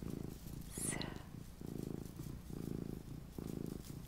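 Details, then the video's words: Mini domestic cat purring to help a listener relax, deep rumbling bursts repeating roughly every second with short quiet gaps, close and clear, a faint rustle near the start. "my purring MINI Cat"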